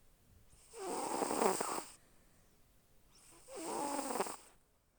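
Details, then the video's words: Two drawn-out, raspy snores from a sleeping domestic cat, each around a second long, spaced about three seconds apart against a quiet background. "звук как моя кошка храпит"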